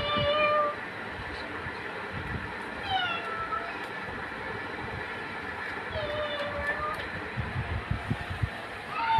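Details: Cats in a funny compilation: several drawn-out meows with clear harmonics, some sliding down, others rising, repeated across the clip over a steady background of noise and low rumble.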